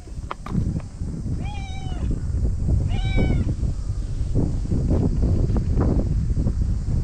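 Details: Stray white cat from the tetrapods in a Japanese park, joining the evening cat gathering before dinner, gives two clear drawn-out meows about a second apart, with heavy wind rumble and a person calling softly.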